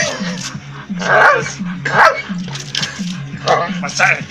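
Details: A Bull Terrier in a tug workout that won't let go gives short, rough play bursts about once a second over background music.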